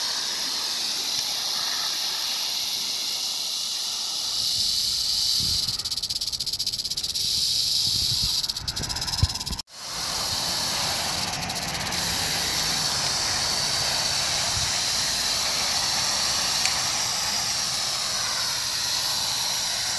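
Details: Rattlesnake recorded on 1 July 2018, its rattle a continuous dry, hissing buzz held steady across the whole stretch apart from a brief cut near the middle, with a faint low rumble underneath.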